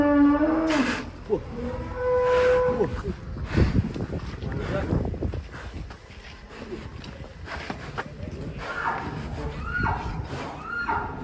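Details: Agitated, raging cow breaking out of its pen gives loud drawn-out moos through the first three seconds, deep with a rising onset, then trampling, scuffling and people's voices, with fainter lowing returning near the end.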